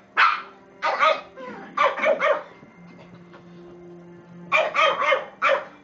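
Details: Two Shih Tzus playing give sharp, high yappy barks in quick clusters of two or three.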